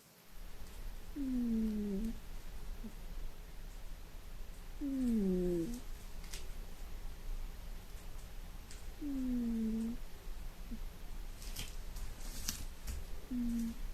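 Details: Pet cat snoring loudly while deeply asleep at home, quite noisy; slow sighing breaths with a low, tonal, falling wheeze roughly every four seconds over steady room hum, with a few faint clicks near the end.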